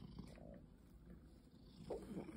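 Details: A short stretch of a pet cat purring, said to have lost its wild instincts. A soft, low continuous rumble sits under faint room noise, with a brief brighter rustle toward the end.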